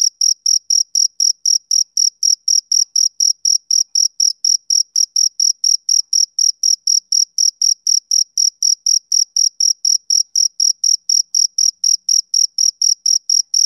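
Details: Rhythmic chirping of a male cricket on a summer evening. Bright, high-pitched pulses repeat about four times a second, steady and unbroken, on a silent background.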